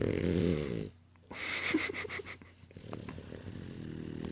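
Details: A pet French Bulldog snoring: a deep, harmonic rasping snore at the start, then a short quiet gap followed by softer, breathy, snuffling exhalations with faint clicks.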